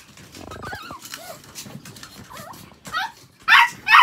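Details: Indoor pet Chihuahua during a toilet pad change, giving thin wavering whimpers that rise and fall, then two loud abrupt yaps at the end.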